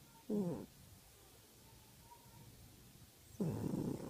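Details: Pet cat asleep in the afternoon, giving two short, low, breathy snores separated by about three seconds of quiet room tone.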